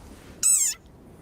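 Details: A single short, shrill squeak with a slight downward slide; the speaker is unsure whether it is a frog and likens it to the viral desert rain frog squeaking.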